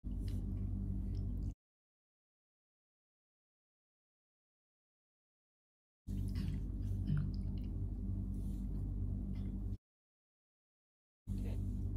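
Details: Low rumbling handling noise with soft clicks and squishing sounds, broken by silent gaps, and no animal voice. Nothing resembling a meow or other call stands out.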